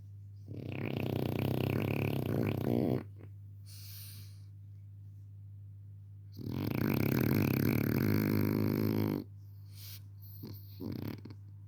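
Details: Pepe el Jefe, a male French Bulldog puppy, snoring while asleep: two long rasping, rattling snores of about three seconds each with a quiet pause between, then brief snuffling sounds near the end over a steady low hum.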